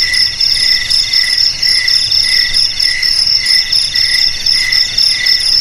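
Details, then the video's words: Cricket chirping in steady pulses, several chirps each second, with bright stacked tones high in pitch and a soft low hum beneath. "Suara JANGKRIK"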